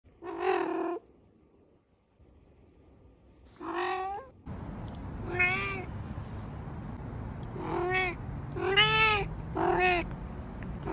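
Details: Domestic cat meowing indoors: a drawn-out harmonic meow, a shorter rising one, then a burst of several quick, chirpy meows in a row, over a steady background hiss.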